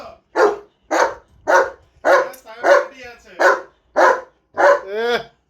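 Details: German Shepherd barking repeatedly, eight harsh barks in quick succession, about two per second. A tonal, wavering voice-like sound rises between the middle barks and again at the end.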